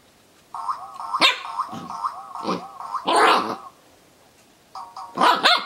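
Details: Zorro the Corgi puppy confronting a noisy dog toy: a steady warbling electronic tone from the toy, with a few short, rough barks and a gruff yap near the end.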